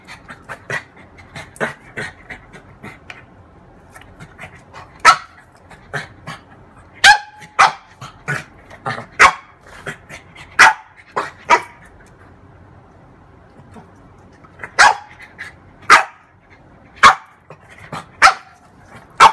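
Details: French bulldog, female, playing with her mirror image; sharp short barks and yips come in scattered bursts with panting and snuffling between them, then a quieter pause before more barking.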